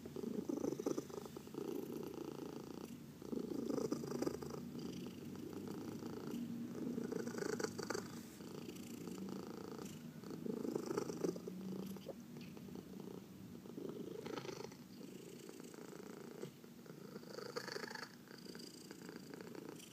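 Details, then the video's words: Purring domestic cat during a massage, one of four cats, indoors; continuous low buzzing rumble pulsing about four times a second, with brief rustling and handling noises throughout. "Four Purring Cats — Cat Massage"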